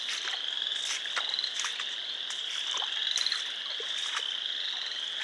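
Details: Frogs calling at a pond on a property in Sanborn, New York, on 29 March 2020: a dense, continuous high-pitched chorus of many overlapping peeping calls forming a steady shrill band, with brief sharper chirps standing out now and then.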